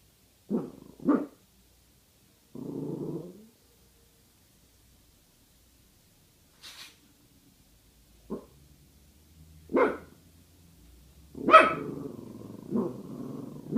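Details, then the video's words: Pasa, a female guard dog wary of a bag hanging in place, lets out short gruff woofs, a drawn-out low growl, then several scattered barks, the later ones louder with growling between them; a brief higher rustle midway. "Guard Dog Pasa Disapproves"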